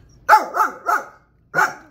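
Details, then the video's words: Pet dog indoors barking after being told a dog or cat is outside, an active dog that chases animals; four sharp barks, three in quick succession then a short pause before the fourth. "How to make your dogs bark."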